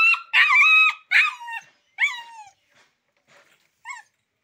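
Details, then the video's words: Sultan, an intelligent but very aggressive Rottweiler-Boxer mix puppy, gives a few high, drawn-out whining yelps with sliding pitch, then fainter scattered cries separated by short silences. "Very very Aggressive puppy"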